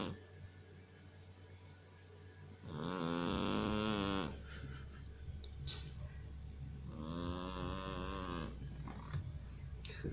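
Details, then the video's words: Sleeping Persian cat snoring and snuffling in a quiet indoor room. Two long, buzzy, nasal rasps with a rich layered tone, each lasting about a second and a half, come roughly four seconds apart, with soft breathing between them. "Персидская кошка смешно храпит, сопит!"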